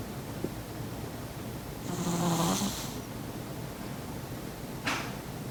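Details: Persian cat Maron, fallen asleep next to her owner, lets out one long rasping snore with a low droning buzz lasting about a second, followed by a brief faint snort, against quiet indoor background noise.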